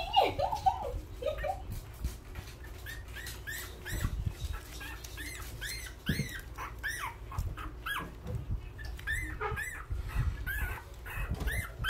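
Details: Hungry newborn puppies crying together, a chorus of short high squeaky arched whines repeated rapidly from several pups, with a few lower whimpers at the start and soft rustling underneath.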